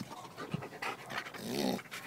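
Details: Puppies at play panting: short breathy, noisy bursts of rapid breathing that come in uneven pulses through about two seconds.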